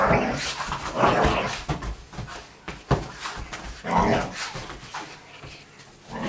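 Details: Slightly older Vizsla at indoor play, mixing throaty growls, a few barks and brief whimpers in uneven bursts roughly every second or two, with scuffling thuds between them.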